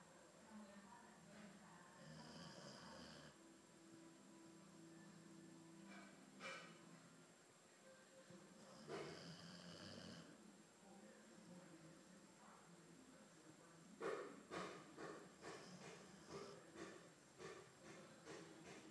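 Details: Snores from Theo, an albino Boxer: two long raspy breaths several seconds apart, followed by a run of sharp, regular clicking or tapping sounds near the end, over a faint steady hum.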